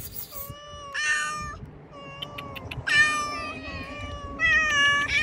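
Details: A hungry cat, fed cut fish outside, repeats long, level meows, while overlapping higher mews from another cat join in. Light background rumble and a faint tone are also heard.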